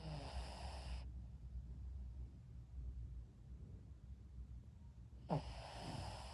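A Shih Tzu snores in low, rumbling breaths with a soft, raspy hiss at the start and end.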